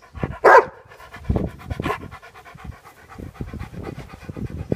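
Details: Pet Labrador Retriever panting close up: quick, breathy, rhythmic huffs about three to four per second, with one louder sharp breath near the start.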